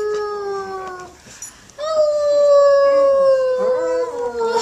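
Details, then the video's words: Dog howling along with a woman in a sung duet: long steady drawn-out tones with a brief pause, then a sustained slightly falling howl; music faint behind. "Howling Dog and Woman sing a duet!"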